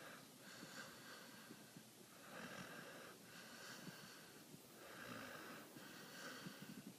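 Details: Hendo the dog sound asleep, twitching and eyes rolling, snoring in steady breathy rasps: four long wheezing snores, each about a second and a half, rising and falling in a slow rhythm indoors.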